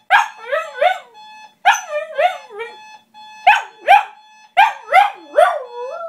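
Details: A female Shiba Inu sings in bursts of wavering, yodel-like yelps over a steady electronic tone, waking her owners up for work as an alarm clock.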